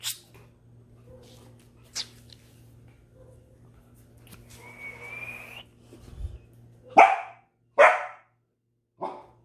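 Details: Belgian Malinois barking intensely: scattered sharp barks, a thin whistle-like tone near the middle, then three loud harsh barks in the last three seconds, with a low steady hum underneath.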